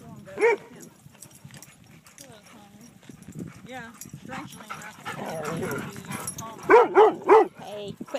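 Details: At a dog park, Kaido barks while trying to start a chase game. One bark comes early, then a woman talks. A tight run of three barks follows near the end.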